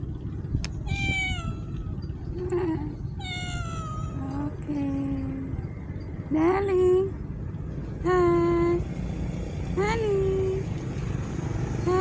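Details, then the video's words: Street cats giving a run of short meows, some rising and some falling, roughly one every second or two, mixed with a person's voice talking softly to them. "the life of a street cats || cat lovers viral cat | meowing"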